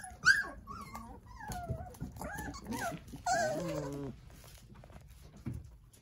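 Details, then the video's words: Nine Jindo puppies toddling and playing beside their mother Sarang-i indoors; scattered thin whimpers and yelps, one rising squeal then a longer wavering whine, with rustling and a few knocks. "귀여운 진돗개 9꼬물이들 아장아장~ 잘 놀아요"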